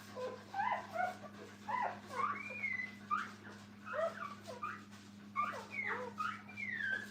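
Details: Several puppies beside their mother at a kennel whimper and yip together, overlapping squeaky, bending cries with short pauses between bursts, while a constant low hum runs beneath.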